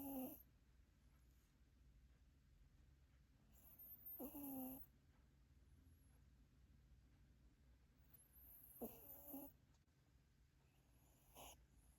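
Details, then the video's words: Maltese dog sleeping and snoring: a short, tonal, whistle-like snore with a falling pitch comes about every four to five seconds, four times in all, with soft breathy noise and a quiet background between them. "꼬질말티즈의 코골이"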